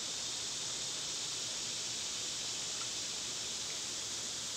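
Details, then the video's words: Dense wall of summer cicada sound, a shrill unbroken sizzle at high pitch with a faint rushing background beneath, unchanging from start to finish. "Cicada sounds"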